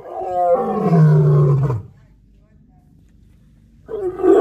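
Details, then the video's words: A white lion at Animal Adventure Park, Harpursville, New York, on 15 October 2021 gives a deep, throaty roar that slides downward, pauses, then roars again, while a person roars along in the background. "Beautiful Roaring White Lion"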